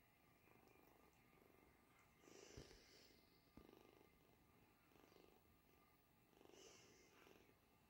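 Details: British Shorthair kitten purring, eyes wide open and feeding well; steady low rumbling purr throughout, very quiet, with brief louder rustling bursts near two and a half and six and a half seconds.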